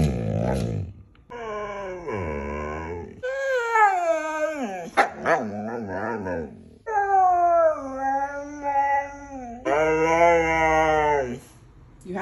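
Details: Moon, a pet Siberian Husky, chatting and being sassy: a string of long, drawn-out harmonic howls and moaning yowls that bend up and down in pitch, several bursts with short breaks between them.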